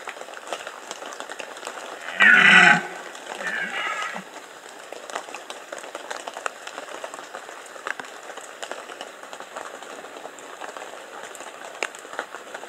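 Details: Red deer during the rut, Bieszczady mountains, 2015: a single short, loud, harsh roar early on, then a fainter second groan, with steady patter like rain or dripping throughout.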